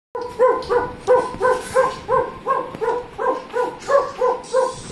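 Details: Cherry, a pet dog, excited and playing on hearing a previous recording of his own barking; an evenly paced run of short, tonal yapping barks, about three per second, continuing throughout.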